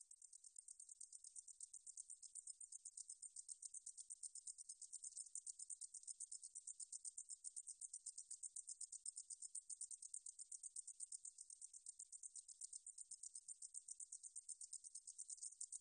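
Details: Meadow katydid song from a 2020 National Institute of Biological Resources recording: a continuous, very high, dry buzzing trill of rapid, even pulses that runs unbroken throughout, with no other sounds.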